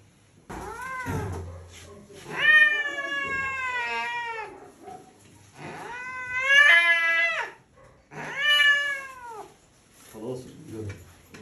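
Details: Loud, angry cat voice: three long, strained meows, each held for a second or two with a wavering, slightly falling pitch, separated by brief pauses and ending in a softer grumble.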